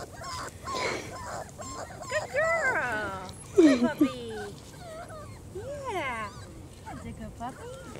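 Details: German Shorthaired Pointer pups, four weeks old, out of doors for their first outing, making drawn-out rising and falling whines and short yips between bursts of encouraging human speech.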